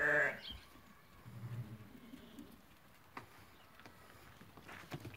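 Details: Ewes that have lambed, offered for sale at a market: one short harmonic bleat opens, then low murmuring and background clatter with faint scattered knocks.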